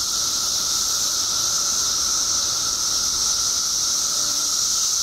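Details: Periodical cicadas swarming in Illinois after 17 years underground: a seamless, piercing high drone with a steady lower whine, no pauses or rhythm, loudness level and constant.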